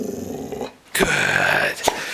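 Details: Female pet dog indoors, trained on command to bark and growl, gives a sustained low rumbling growl after a short quiet gap, preceded by a person's praise and instructions.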